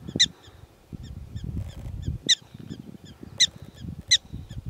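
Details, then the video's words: Prairie dogs calling in Theodore Roosevelt National Park: loud, sharp, harmonic yips about once a second, softer answering chirps between them, over low rumbling background noise. "Prairie Dogs talking"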